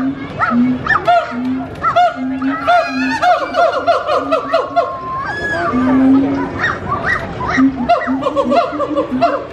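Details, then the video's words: Loud, energetic captive gibbons singing at Disney's Animal Kingdom: dense overlapping hoots and rising, wavering whoops, low hoo notes pulsing underneath, one long drawn-out note in the middle, with a few voices mixed in. "Gibbons hooing at Disney's Animal Kingdom"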